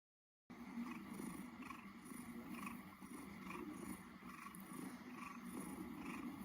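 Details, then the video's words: A domestic cat purring: a steady low rumbling drone with soft regular pulses, continuous throughout after a brief silent start. "Cat is purring purr"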